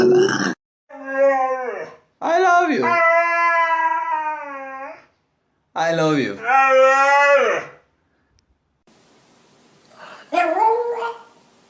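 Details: Pet dog making funny, weird talking noises indoors: long, drawn-out howling moans with rich harmonics, rising and bending in pitch, in two main bursts several seconds long, followed by a shorter quieter whine after a pause.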